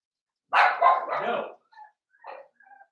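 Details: Litter of five blenheim Cavalier King Charles Spaniel puppies, 7 weeks old, in an indoor home puppy pen. One long rough bark-growl followed by a few thin, quiet whines and whimpers.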